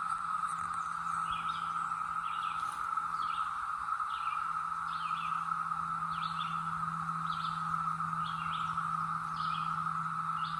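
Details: ['Brood X cicadas in the North Georgia mountains in 2021, emerged after a 17-year slumber; a constant, even buzzing drone fills the clip while short bird chirps repeat above it and a low hum runs beneath.']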